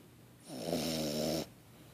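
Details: A 3.5-month-old French Bulldog puppy gives a single long, raspy snore with a rattling, buzzy texture.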